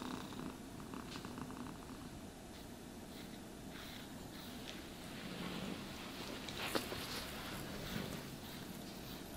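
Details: Contented house cat purring as it is brushed; a constant low vibrating drone runs the whole time, with a few light scratchy brush strokes and a brief sharp tap near the end.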